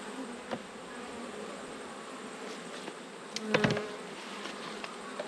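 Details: Honey bees at an open hive during an autumn inspection, with pollen still coming in; a steady, dense colony hum with a low, broad drone throughout and a brief louder knock near the middle.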